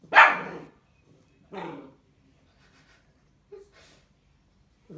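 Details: Young Bull Terrier at its first bottle feeding lets out a loud, sharp yelp, then a shorter whine about 1.5 seconds later. A faint squeak and a brief high sound follow in a quiet room.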